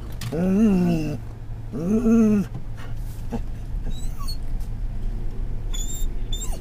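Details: Riding in a car in October 2010, a Scottish Terrier gives two loud, arching whines, each about a second long with a wavering pitch, followed by road noise and faint high squeaks.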